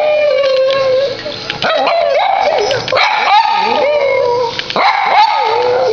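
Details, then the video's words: Silky terrier howling indoors in a sustained, wavering tone with sliding pitch rises and falls, broken by short yips, while Spanish speech carries on in the background. "Silky Terrier Singing (Howling)"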